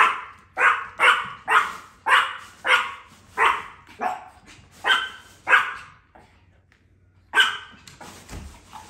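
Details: Small Chihuahuas, quiet except for a daily outburst aimed at the UPS delivery driver, defending their property: sharp, high yaps roughly every half second, a pause of about a second, then barking resumes.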